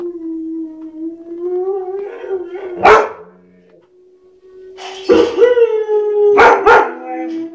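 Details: White shepherd dog howling in long steady tones, rising slightly, punctuated by sharp single barks around the middle and two close barks near the end, the howl carrying on between them.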